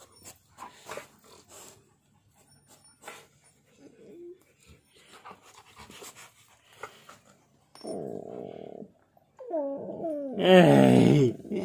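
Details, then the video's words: Husky and pitbull play-fighting indoors with nibbles. Scattered soft scuffling and quiet noises, then a low drawn-out moan, then loud wavering, rising-and-falling howl-like yowls with a growly edge near the end. "Husky vs Pitbull In Revenge Nibbles"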